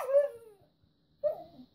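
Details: Red female Siberian Husky wanting treats, inside a room: two whiny vocal bursts, the first falling steadily in pitch, the second wavering and dropping after a pause of about half a second.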